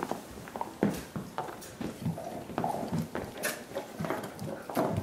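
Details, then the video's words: Five dogs gnawing soup bones as part of a dental hygiene routine, giving a wet slurping like the end of a milkshake; irregular clicks, scrapes and sucking smacks overlap one another at a quick uneven pace. "Annoying dog noises"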